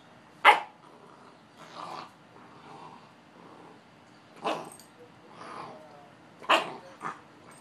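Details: Two Boxers playing: loud sharp barks at about half a second, four and a half and six and a half seconds, separated by lower rumbling growls.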